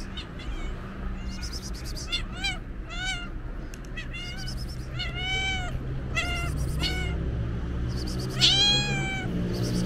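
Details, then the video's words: Stray cow-patterned cat waiting at its usual spot, meowing on seeing the person who feeds it: a run of rising-falling harmonic meows, several per second, one louder and higher near the end, over low traffic rumble. "Cute cowcat is waiting for me and starts meowing when she saw me"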